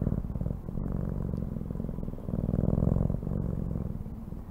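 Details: A cat purring steadily: a low, rapidly pulsed rumble that carries on without a break, with a slight swell in loudness past the midpoint and a few faint clicks on top.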